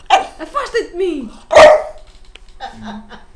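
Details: A domestic dog calling out to its owner indoors. A person speaks Portuguese first, then a single loud, abrupt bark follows, then brief quieter murmuring.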